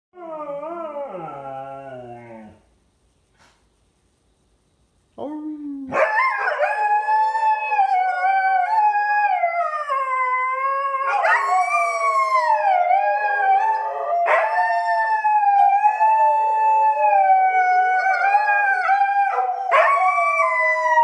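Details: Two dogs howling together in a morning chat; a short falling howl, a pause, then long overlapping wavering howls sustained for about fifteen seconds, pitch sliding up and down in loud continuous duet.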